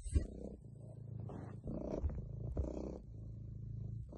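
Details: Male domestic cat relaxing, giving a low, steady rumbling purr with soft pulsing rises and falls in loudness over a few seconds.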